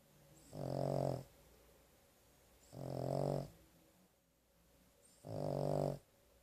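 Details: Sleeping dog Carley, worn out from a trip to the vet, gives three regular grating snores, each near half a second long, separated by quiet intervals indoors.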